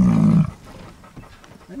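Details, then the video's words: Large male buffalo with tongue out, grunting as a show of dominance: a short, deep, rough grunt of about half a second, cut off abruptly, followed by faint background noise and distant rustling. "Buffalo Grunt"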